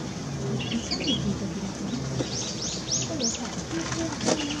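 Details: Asian small-clawed otter giving a quick run of four high, arched chirps in close succession, each rising then falling, above a steady hiss of background noise, with fainter squeaks earlier.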